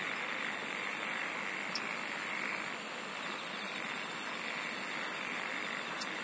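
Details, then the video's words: Singing insects in a natural setting: four regular bursts of sharp, high-pitched pulsed trilling, each under half a second, repeating about every one and a half seconds above a continuous buzzing chorus. "SINGING OF INSECTS"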